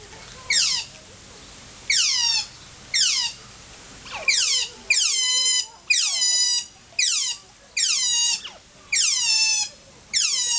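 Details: Loud captive adult Asian small-clawed otter at Wuppertal Zoo, Germany, probably hungry and impatient, repeating piercing high squeals with falling pitch, each a bright burst roughly once a second, steady and insistent.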